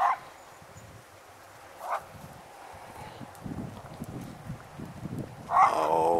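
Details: A Dalmatian out in the fields on a long leash gives a few sharp, mid-pitched barks in response to hearing another dog.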